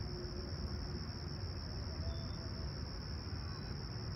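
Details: Summer morning crickets at Humber Bay Shores, Toronto, July 28, 2020, calm and clear at sunrise, 20ºC: a steady, shrill continuous trill that never pauses, above a heavy low background drone.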